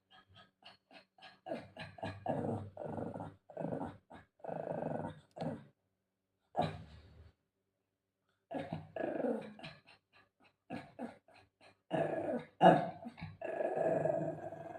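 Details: Shih Tzu dog growling while playing with its owner indoors; bursts of low, rough growls in uneven runs with short pauses, voices heard softly between them.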